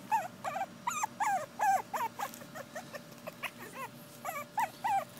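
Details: Two female Pekingese puppies give high, arching whimpers and yips in quick, uneven series, about three per second, each call bending up then down, with a faint steady hum underneath.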